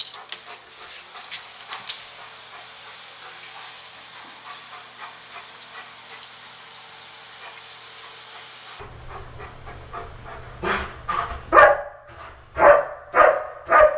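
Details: German Shepherd personal protection dog searching a building, recorded 30 September 2015: about nine seconds of panting and hissy noise, then a run of five loud, sharp barks roughly half a second apart in an echoing space.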